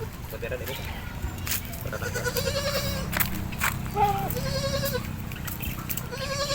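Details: Mother goat still not recovered after giving birth, on a home-service farm visit: wavering, nasal bleats repeated several times, under background music and people talking.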